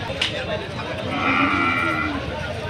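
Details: Cattle at Nolin Bazar livestock market in Gopalpur, Tangail, Bangladesh, mostly local desi cattle: one drawn-out, fairly level moo of about a second amid a busy crowd murmur and voices.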